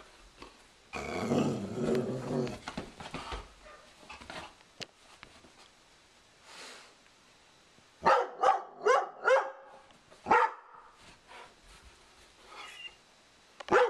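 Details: Sugar Tree, a Doberman indoors, guards her owner against a cow skull newly hung on the living-room wall. A rough, low growl at first, then after a pause a rapid series of about five sharp barks and one more later.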